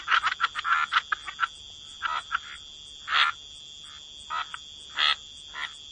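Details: Croaking frogs in a wetland setting: short raspy croaks in quick bursts and scattered single notes, with a constant high-pitched insect-like drone behind.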